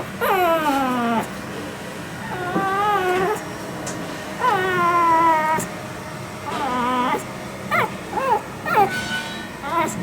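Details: Female Shih Tzu puppy, born 25 December 2021, at a pet shop in Yokosuka, Kanagawa, Japan, whimpering in thin, high, wavering whines that rise and fall, some drawn out and others short and clipped, over steady room noise.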